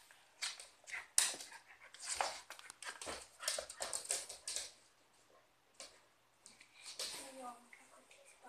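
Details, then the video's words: Cocker spaniel and westie fighting indoors: rough, noisy bursts of snarling come in quick clusters, a short harmonic whine rises near the end, and human voices are heard throughout. "Cocker spaniel & westie-Fight"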